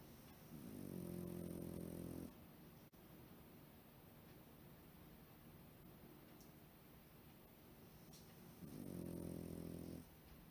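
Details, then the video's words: Deeply sleeping Pekingese snoring like a human while curled up at home: two long, rasping, low snores, each near two seconds, separated by about six seconds of quiet breathing in a small room. "ペキニーズ 人間のように寝息（いびき？？？）を立てて熟睡"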